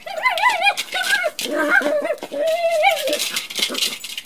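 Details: Pet Chihuahua at play with a toy bowling ball, giving a near-continuous string of warbling, wavering whines and grumbles, with a rattle of the toy in a small room.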